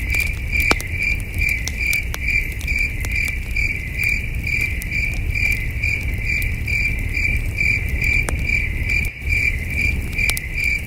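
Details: Crickets at night by a campfire in the wilderness, chirping in a regular pulsing rhythm just over twice a second, with scattered snapping crackles of burning wood and a low background rumble.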